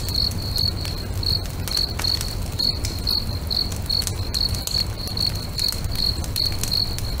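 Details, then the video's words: At a lake at sunset, crickets chirp in a regular high pulse, two to three per second, while a bonfire crackles and snaps and a soft low roar fills the background. "FIRE & CRICKETS AMBIENCE"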